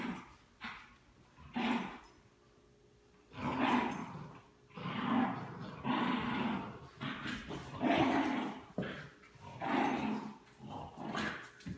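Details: Two dogs, a French Bulldog and a Bichon Frise, indoors playing tug of war; bursts of rough, rumbling play growls roughly every second or two, separated by short quiet gaps.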